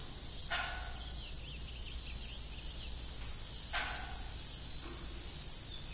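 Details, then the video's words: Evening crickets keep up a bright, continuous high trill on an old farm. Two creaks from the rusty windmill arrive about three seconds apart, and a softer knock follows. "Evening Cricket Sound"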